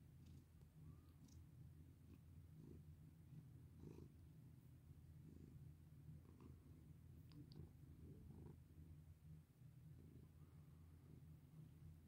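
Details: Bini, a pet cat, purrs as it is stroked: a continuous low throbbing rumble with rhythmic pulses, broken by faint scratchy touches and light clicks of fur and fingers.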